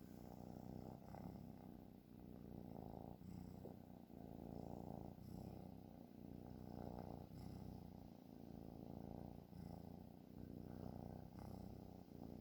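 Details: A sleeping cat snoring: a soft, steady low rumble with a rough, pulsing texture that swells and fades slightly about every second or two, recorded quietly indoors.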